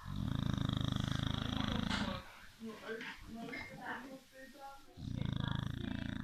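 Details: A sleeping Beagle snores: long, loud, rumbling low buzzes open and close the recording, with a stretch of human voices or laughter in between.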